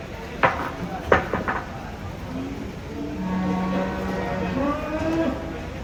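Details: Cattle being unloaded from a truck in Indonesia: sharp knocks and bangs at the start, then a long, flat, fairly low moo with a faint second voice over background hum.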